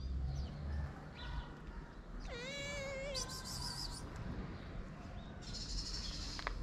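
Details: Abandoned sister kitten in Morocco, shy but hungry, gives one wavering meow that holds steady then drops, followed by brief scratchy rustling and low background rumble.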